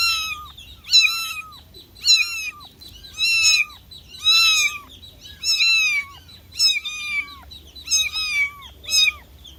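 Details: Baby cat calling for its mother with shrill, piercing meows, each briefly arched then dropping in pitch, repeated steadily roughly once a second, about eight calls, over a quiet low background hum.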